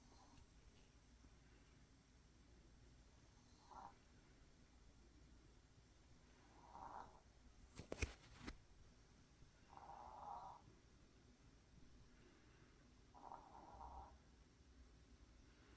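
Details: Maltese dog snoring while tired after a walk: soft, raspy snore bursts recurring about every three seconds against quiet room hum, with a sharp click near the middle.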